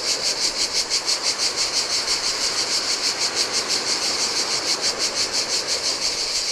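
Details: Insects buzzing loudly in the heat beside the Adriatic on a lonely Greek island shore, cicadas pulsing evenly about three times a second over a low, continuous rush of breaking surf.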